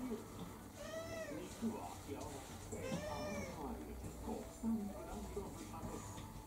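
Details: Two rising-falling meows about two seconds apart from Kurumi, a mixed-breed orange tabby of roughly four, demanding dinner indoors, with quiet talking and household sounds around them.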